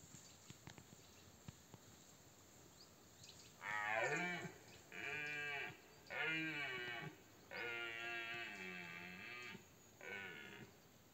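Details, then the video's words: Red deer stag, a powerful bull in the 2024 rut, about 50 m away: after quiet seconds with a few twig-like clicks, five deep, harmonic bellowing roars follow in a series, each roughly a second long with short pauses. "rykowisko 2024 - potężny byk na 50m"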